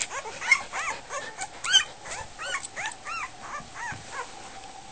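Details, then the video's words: Goldendoodle puppies just over a week old at dinner time, squeaking with high arched whimpers and yips roughly once a second, some overlapping from several pups, over a steady faint hum. "Goldendoodle puppies - dinner time"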